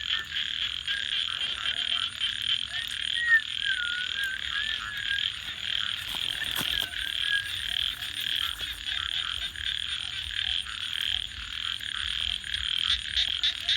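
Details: Frogs calling at night beside a crackling campfire: a dense, steady high-pitched chorus with faint wavering notes over it, while sharp snaps and pops from the burning fire break in now and then.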